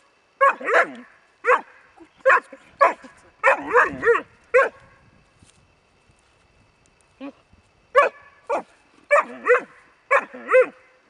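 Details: Excited barking from Rus De'Viaro Venezia, a Bracco Italiano: clusters of quick, high barks, a quiet stretch of several seconds, then a fresh series of sharp yelping barks.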